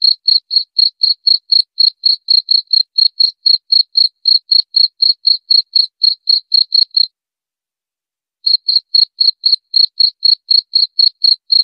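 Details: Continuous high, clipped cricket chirps at roughly four per second, broken once by a pause of over a second before the rhythm picks up again; background silent.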